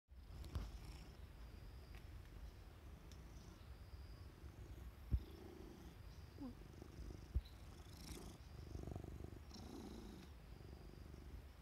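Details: Cat named Ajiko, found near a mantis, purring softly: a steady low rumble that runs through the whole stretch, with a few faint clicks and brief higher rustles over it.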